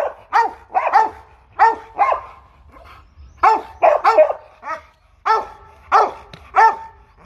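A Rottweiler barks aggressively in loud, harsh bursts, often doubled or tripled, with short pauses between.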